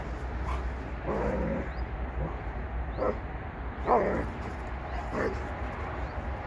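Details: A Kangal dog sniffing the air gives a few short, rough barks, spaced one to two seconds apart, over a steady low hum.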